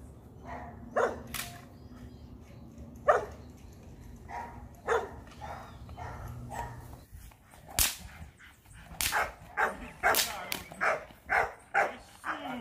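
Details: Rottweiler puppies being trained for high-performance guard work: scattered single barks early on, then a quicker run of sharp barks roughly every half second toward the end.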